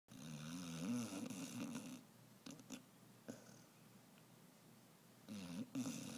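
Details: An 11-month-old female Basset Hound, sleeping blissfully on a tote bag, snores with low, rumbling, wavering breaths in a quiet room.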